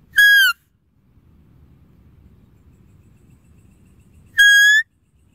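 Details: Deer giving two short, clear whistled calls about four seconds apart: the first bends slightly downward, the second rises a little at the end. A faint low rumble fills the gap between them.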